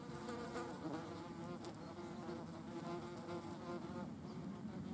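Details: Wasps at a cadaver they are eating. A dense, continuous hum of several buzzing wings stays level for the whole stretch, with wavering tones as individual insects shift and hover close by.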